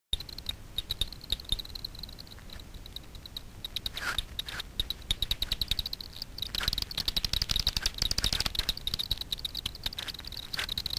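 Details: Daubenton's bats foraging for insects on the water surface over Miedwie lake, north-west Poland, at night, picked up by a frequency division ultrasound bat detector: rapid dry ticking pulses, at times speeding into dense buzz-like bursts, over a low background hiss.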